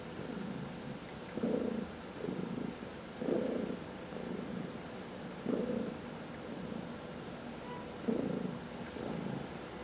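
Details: Massaged pet cat purring steadily indoors, one of four household cats; a rich low rumble pulsing in paired inhale and exhale phases every couple of seconds, clear above a quiet room.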